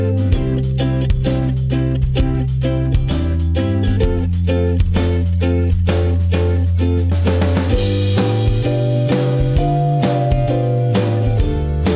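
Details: Loud band music with steady drum kit, bass and guitar fills the whole stretch, with no animal voice audible.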